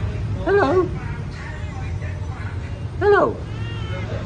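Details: A pet cat gives two short meows about two and a half seconds apart. Each call bends up and then down, heard against a low hum with faint noise between the calls.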